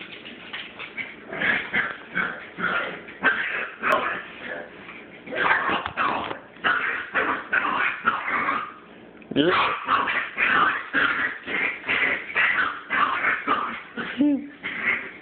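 A Chihuahua puppy makes rapid, raspy yips and whimpers in a continuous, harsh stream.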